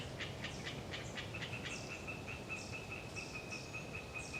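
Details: Hyla orientalis tree frogs calling in Galeriç Swamp Forest, Kızılırmak Delta, Samsun, on a windy autumn day: a steady rapid train of pulsed rattling notes, earlier scattered sharp clicks, thin high calls of long-tailed tits, constant wind rumble.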